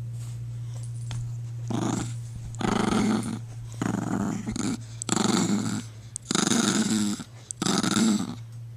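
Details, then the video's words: Sleepy female Chihuahua growling at a Jack Russell that keeps pestering her while she tries to nap; low rumbling growls come in about six bursts of half a second to a second each, separated by short pauses, over a steady low hum. "Sleepy Chihuahua Growling At Annoying Jack Russell"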